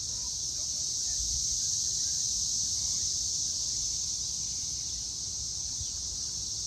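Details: Evening cicada chorus, May 24, 2024, 6:00 pm. A loud, steady, high whine of many insects blends into one sustained tone, with faint low murmuring beneath.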